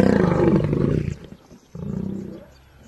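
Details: Serengeti National Park lion giving a loud, deep roar that fades out, then a second, quieter rumbling grunt after a brief pause.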